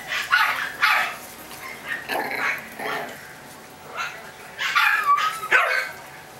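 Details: Chihuahua puppies make scattered thin yips and softer whimpering barks, irregular in timing, with a brief rising whine near the end, low room hiss beneath.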